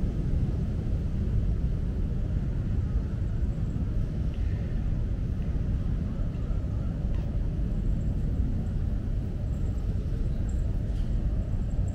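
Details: Steady low outdoor rumble like distant traffic or an aircraft, with no animal calls.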